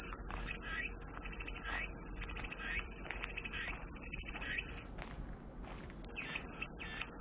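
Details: Shrill cicada buzzing runs steadily for nearly five seconds, cuts out abruptly for about a second of near silence, then resumes at full strength; faint chirping sounds lie underneath.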